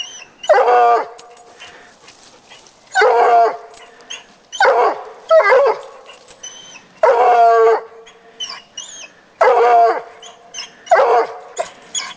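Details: Treeing the neighbour's cat, coonhound Petey gives a steady series of loud, quavering harmonic bays, about five in twelve seconds, with faint bird chirps in the pauses.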